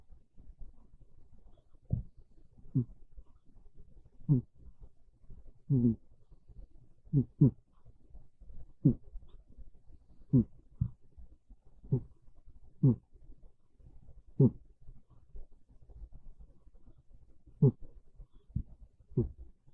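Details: Monta the cat snoring softly while asleep on a bed in the early afternoon of a cold, rainy day; low, gravelly breaths rise and fall roughly every one and a half seconds in a quiet room.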